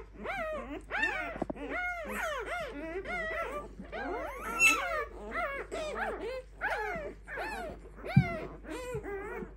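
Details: Newborn Clumber Spaniel litter at five days old cries in loud, wavering squeals and whines, pups calling over one another almost continuously, with one sharp thump near the end.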